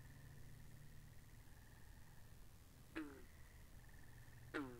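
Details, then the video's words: Frogs by a pond in a binaural recording: two loud, sharp calls sweeping steeply downward land about a second and a half apart, over a steady, high, faintly trilled chorus and a low hum. "Two Hours Of Frogs By The Pond"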